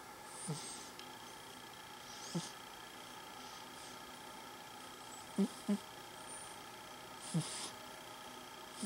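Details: Sleeping, dreaming cat snoring indoors: short, low snorts come roughly every two seconds, some in quick pairs, over a quiet room with a steady faint hum.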